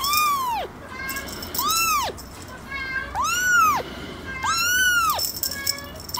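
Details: Four loud, arched kitten meows in quick succession, each a clear rising and falling wail lasting under a second, close and dominant.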